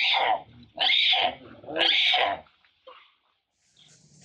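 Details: Frightened mother monkey Rana screaming as a big male tries to steal her mango: three loud, harsh screams about a second apart, each rising then falling, followed by quiet faint sounds.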